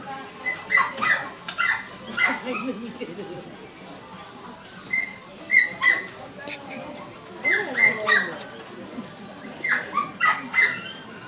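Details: Chihuahua puppy, 50 days old, newly arrived at a shop: thin, high whimpering cries in short bursts of two or three, repeated every couple of seconds, with faint background voices.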